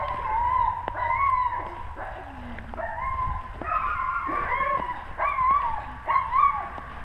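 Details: Wolves with the pack, captured by a GoPro at wolf level: several overlapping whining howls with wavering, rising and falling tones, voices layered and repeating in short bursts, plus a low grunting note midway.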